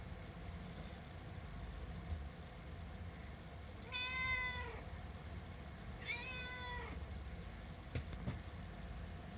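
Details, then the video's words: Seven-month-old female Himalayan cat making a fuss for her food, giving two drawn-out, slightly falling meows about two seconds apart, with faint low rumble and a brief click near the end. "ご飯が欲しくて鳴きまくるヒマラヤン【猫の鳴き声】The cat(Himarayan) meowing because she want some catfood."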